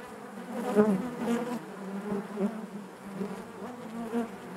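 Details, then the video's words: Inside a beehive, honey bees make a low, constant buzzing drone with rich overtones, punctuated by brief louder pulses as individual bees pass close. "bees therapy hive natural buzzing sound"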